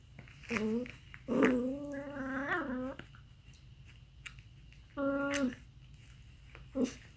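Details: Aardvark making a series of strained, whining harmonic calls: a short cry, then a longer rising and wavering one with a sharp onset, a steady sustained cry around five seconds and a final brief yelp, separated by quiet pauses.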